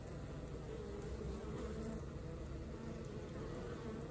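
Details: Working colony of honey bees giving a thick, continuous low buzz, even in loudness from start to end with no breaks.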